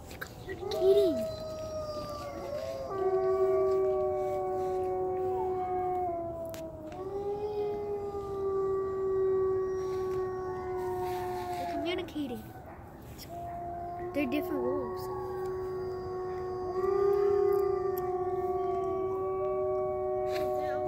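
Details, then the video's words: Wolves in a wildlife sanctuary howling together: several long, steady, overlapping howls at different pitches, some sliding down at their ends, carrying on almost without pause for twenty seconds. "Wolf Calls"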